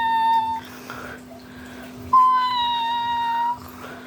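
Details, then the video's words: Crying calls from a mother house cat indoors: a short tonal meow at the start, then after a pause a louder drawn-out meow of about one and a half seconds, slightly falling, with strong harmonics over a constant low hum. "Mommy making weird crying sounds"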